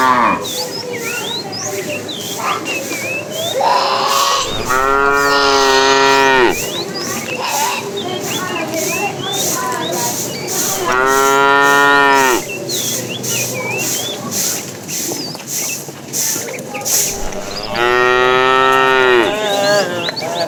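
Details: Tame cows walking in a herd along a road, searching for food; three long, rich, wavering moos about six seconds apart over constant background noise with chirping birds and faint voices.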